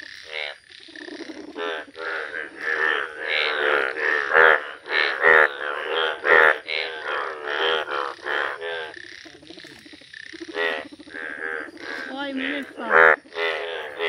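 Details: Bright yellow Indian bullfrogs in a village, croaking together: many rough, buzzy calls overlap in an uneven, continuous chorus, with louder individual croaks rising above it now and then.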